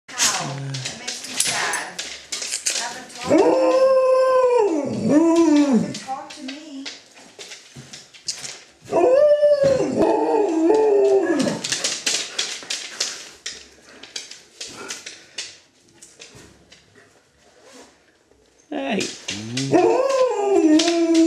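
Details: Three-legged Alaskan Malamute, a sweet dog, howling in drawn-out rising and falling wails in three bouts, each with wavering pitch, separated by quieter stretches with a person's voice and background noise.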